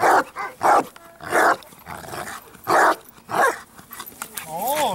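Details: Bandog, 4.5 years old, in training to build up strong barks: five loud, short, deep barks in uneven bursts, then a rising and falling whine at the end.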